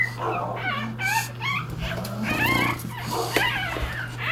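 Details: Litter of 3-day-old English Bulldog puppies seeking their mother's affection; several overlapping high, squeaky whimpers that bend up and down, rapid and continuous throughout, over a steady low electrical hum.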